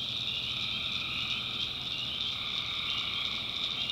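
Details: Swampy North Carolina backwoods at night, tree frogs massed in a continuous high buzzing trill, faintly pulsing, with a softer lower band of calling underneath.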